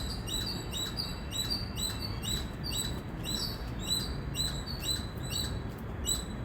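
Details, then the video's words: Loud chirping from an Indian squirrel: quick, piercing high chips repeated about twice a second in an unbroken string, with a dull low-pitched rumble beneath. "Loud Squirrel Chirping Sound"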